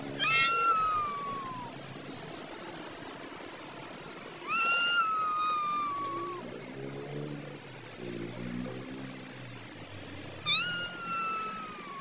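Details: Cats fighting and arguing over food; long drawn meows sliding down in pitch at about 0, 4.5 and 10.5 seconds, with low rumbling growls between them and steady background hiss.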